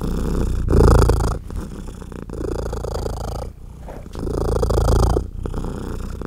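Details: Nursing mother cat purring loudly as her tiny baby kittens feed and jostle; deep continuous rumble rising and falling with each breath, swelling louder about every four seconds.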